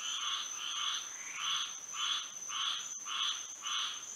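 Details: Frogs calling at night in Florida under the moon, six clear buzzy croaking bursts evenly spaced about every two-thirds of a second, each swelling and fading, with a faint steady high tone behind.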